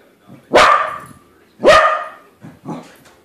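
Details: Corgi barks at a corgi balloon it has just discovered is not real, two strong sharp barks about a second apart followed by a softer short yelp.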